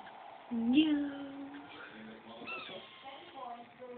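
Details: Pet kitten, now one year old, gives a loud drawn-out meow that rises sharply then holds level, followed by shorter, softer meows while a person talks gently to it indoors.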